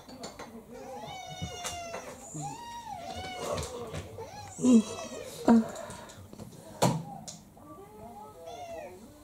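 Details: Two mixed-breed house cats indoors: a female of about three to four years attacks a male of about seven. Short, rising and falling whining cries recur several times between louder thumps, mixed with a person talking.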